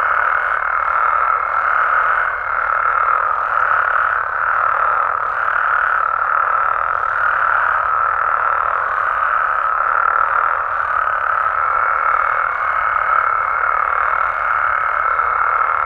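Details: Many frogs and toads calling through the night in Mexico's amphibian habitats; a throbbing mass of croaks pulses in waves every second or two, with a thin steady tone at the start and end.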